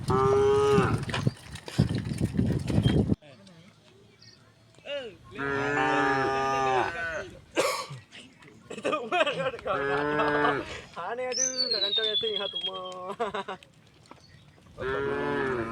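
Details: Calm cows crossing a wooden bridge on their way to the fields, several loud harmonic moos in succession with short pauses between, some rising and falling, plus high thin bird chirps in the countryside background.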